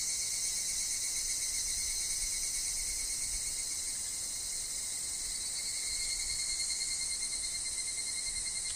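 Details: A woodland chorus of higurashi, amid wind and falling leaves, forms an unbroken shimmering high buzz of rapid pulses, layered over a constant narrow whistle-like tone lower down.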